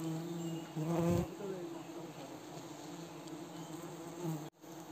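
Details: Himalayan cliff honey bees buzzing during a risky honey harvest by villagers in Wui village; a steady low droning hum with a louder surge near one second, then an even hum before a sudden cut.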